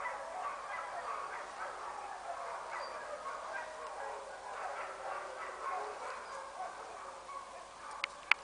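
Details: Frey, a sled dog at the International Mushing School, Fusine in Valromana, Tarvisio, Italy, in winter 2011/2012, howls in a long, wavering, mid-pitched voice that rises and falls without a break.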